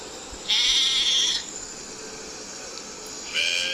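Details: Sheep with one high, slightly tremulous bleat of about a second, then a second bleat starting at the end, over steady hiss.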